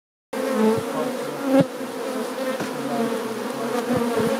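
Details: Brown western honey bees of the subspecies Apis mellifera mellifera flying in and out of a hive entrance, producing a dense, steady droning hum with overlapping wingbeat tones and brief louder buzzes as individuals pass close.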